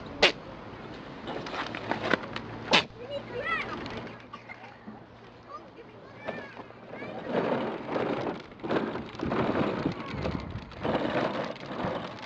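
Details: A pygmy goat at a farm in Galleywood, Essex, gives two sharp, explosive sneezes, a couple of seconds apart.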